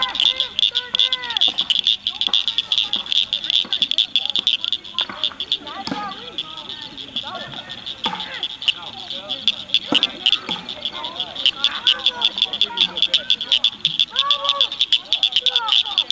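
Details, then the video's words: Rare Blanchard's cricket frogs singing in May 2006 at Cricket Cove Park near Cygnet, Ohio. A steady mass of clicking calls overlaps continuously, with frequent lower, looping chirps from other callers. "Cricket frogs Singing"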